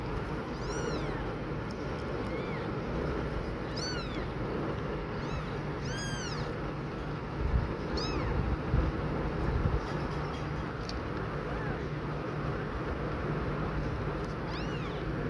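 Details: Domestic cat family: an exhausted, panting mother cat repeatedly checking on her tiny newborn kittens. Thin, high, arching mews repeat every second or two, some in quick pairs, over a steady low background hum.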